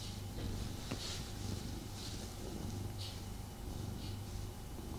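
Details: Tommy, a pet cat, purring while snuggling with his owner; a steady low rumble breaks into short pulses, with soft breathy hisses about once a second, in a quiet indoor setting.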